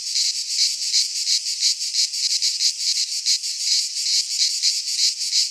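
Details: Midsummer cicada chorus from a pine forest in Greece, a loud unbroken shrill buzz that beats in quick uneven pulses, with no birds or people heard.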